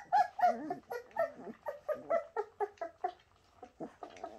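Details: Shasta's Bernese Mountain Dog puppies yelping and whimpering in a rapid run of short squeaky cries, roughly four a second, loud at first and fading toward the end, inside a small room.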